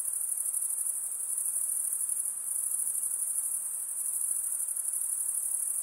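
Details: Night-time insects keeping up a steady, very high shrill ringing trill with slight pulsing and small swells in loudness, over a quiet hiss; no birds, voices or other sounds.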